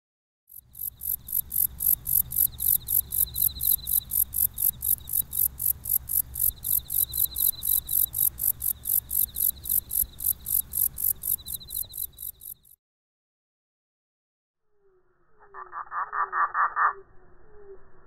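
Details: A singing katydid recorded with simultaneous analog sound during a slow-motion filming. It gives a long run of rapid, very high, hissing buzz pulses, about three per second, for twelve seconds. After a silence, a lower rattling burst follows.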